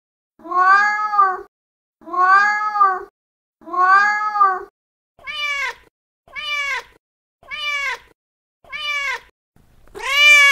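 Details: Young male street cat calling loudly for a female in heat: three long, drawn-out meows about a second each, then four shorter, higher-pitched meows and a final loud, strained wail, all with rich harmonics and clean pauses between.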